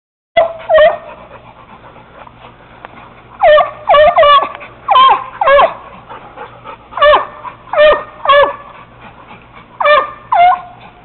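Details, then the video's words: Young Treeing Walker Coonhound treeing a caged raccoon, with a Bluetick named Bobbi joining in. Loud, ringing barks come singly and in quick pairs, spaced by short pauses, with a handler urging the dogs on. "my walker pup treeing on a cage coon"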